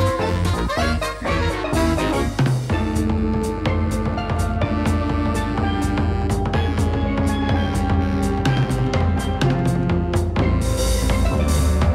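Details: Upbeat music with drums and bass plays throughout, with no animal sounds present.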